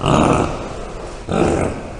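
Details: Bongo call made of two coarse, hoarse grunting blasts, the first longer and the second starting after a short dip, loud and broadband with no clear tone.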